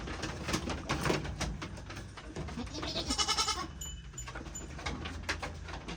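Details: Goat among a group to which four more newly bought animals were added; one brief, wavering, harmonic bleat rises near the middle, surrounded by clattering, rustling and knocking noises.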